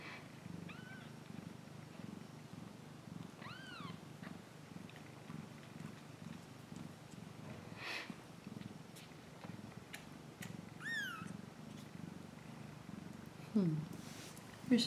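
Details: Continuous low cat purr rolling in regular pulses, overlaid by a few brief high arching chirp-like notes and a sharp rising squeak near the end.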